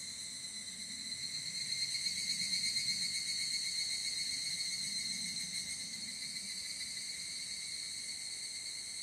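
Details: Higurashi, the evening cicada, recorded in the field in Japan on a ZOOM F8n Pro with SCHOEPS mics: a continuous bright, ringing high-pitched chorus with a fast tremolo throughout, a faint low background hum beneath.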